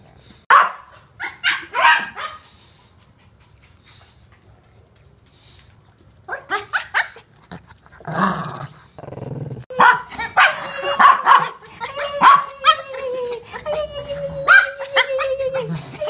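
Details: Lu, a Toy Poodle boarding at a home dog daycare with a shih tzu, gives short, shrill yaps indoors, first scattered, then a busier series of barks with some growly whines in the second half.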